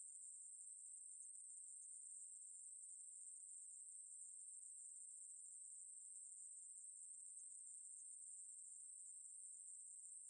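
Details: Steady, piercing high buzz of a Ruspolia katydid, recorded by the National Institute of Biological Resources in 2020, running without pause or change in volume, nothing else audible.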